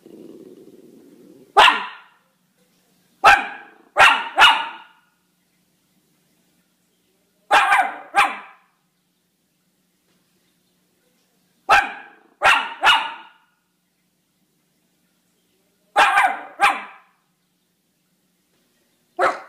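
A Miniature Schnauzer barks in sharp bursts, often doubled or tripled, with pauses of several seconds between.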